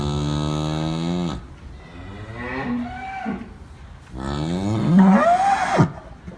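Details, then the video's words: Two moos from farm cattle: a low, level moo that cuts off after about a second, then a pause with soft noises, then a second moo that rises and strains higher before breaking off. "COW SOUNDS FOR KIDS: COWS GO MOO"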